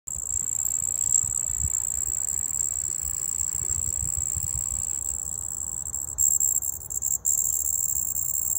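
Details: A red-headed bush cricket (handsome trig, Phyllopalpus pulchellus) on a porch gives a thin, very high, steady chirping trill that runs without a break.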